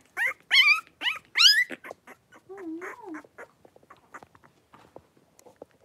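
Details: Three-week-old blenheim Cavalier King Charles Spaniel puppies, a litter of five born at New Year, play-wrestling in their pen. Loud, shrill, wavering squeals come in quick succession, followed by a lower moan and soft scuffling, snuffling noises.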